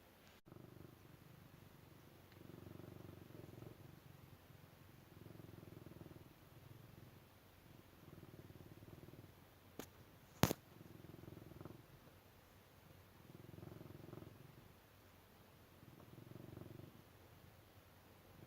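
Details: Cat purring: soft, low, rumbling purrs swell and fade in breaths roughly every two seconds, with a few sharp clicks partway through.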